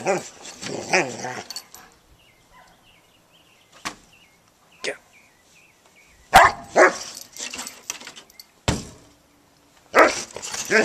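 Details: Female pet dog on a deck, eager to chase squirrels and playing with her toy, gives bursts of harsh barks separated by quiet gaps. Isolated single barks fall in between, with brief clicks and faint background sounds.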